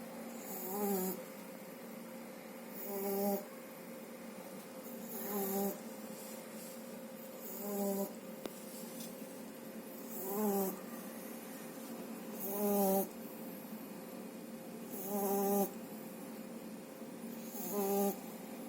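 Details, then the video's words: Sleeping French Bulldog puppy named Shturm, under two months old, snoring after a good meal indoors; rhythmic rasping snores with a bright whistling overtone, about one every two and a half seconds, quiet room. "Французский бульдог Штурм храпит."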